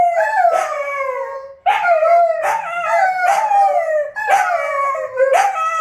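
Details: Lupo and Kano, two wolfdogs, howling at midnight in intertwined harmonic voices, each howl sliding down from a high start to a long steady tone, interrupted by quick sharp yips about every second.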